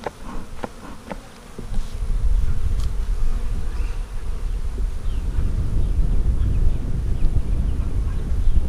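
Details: Honey bees during a hive inspection on 15 April 2017 of a split made on 4 March, with the queen in a five-frame nuc with nurse bees; a low, steady droning hum with a few sharp handling clicks early on.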